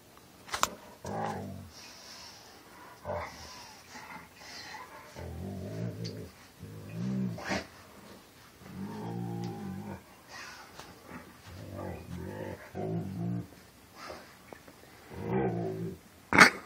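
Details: Domestic dog rolling on his back and moaning in a very deep voice: repeated low, droning groans rich in harmonics, around ten drawn-out bouts with short pauses, plus a few sharp clicks and knocks.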